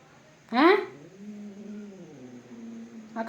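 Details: Cat fight: a sudden harsh, spitting burst gives way to a low, drawn-out moaning growl that slowly trails off, and a fresh outburst starts at the close.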